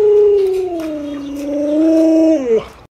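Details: Pet Alaskan Malamute Luoluo, much spoiled by grandma, howls in one long drawn-out tone lasting over two seconds, dipping slightly lower midway, rising again, then dropping off abruptly at the end.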